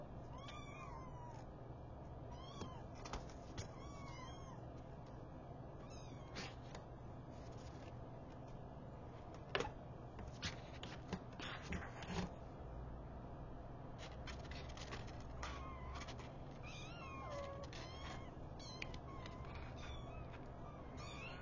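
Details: Newborn kittens, five in the litter, stirred awake by their mother cat; scattered short, high-pitched mews and faint squeaks come irregularly throughout, with occasional soft knocks and a steady low hum.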